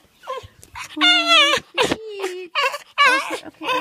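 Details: Hungry puppy crying because it was not fed on time: loud, wavering whines and yelps that slide up and down in pitch, in bursts separated by short pauses, with a person talking to it.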